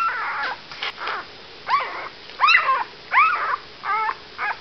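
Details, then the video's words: Puppies eight days old giving squeaky whimpers, a mix of short yips and arching rising-falling whines in uneven bursts about every half second to second, clean quiet background. "Pups 8 days old"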